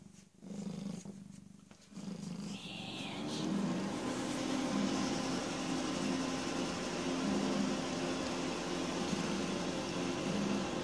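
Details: PeeWee, a rescued female cat about 18 or 19 months old, recently spayed, purrs in a steady, low, rumbling drone. Brief human voice sounds open the recording before the continuous purring takes over.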